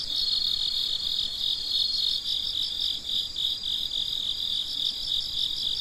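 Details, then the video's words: Crickets at night, a ten-minute midnight recording: dense, continuous high-pitched chirping from many insects, overlapping pulsed trills repeating rapidly about three times a second with steady loudness and no other clear sounds. "Gece Cırcır Böceklerinin Sesi - Huzur Veren Sesler - The Sound of Crickets"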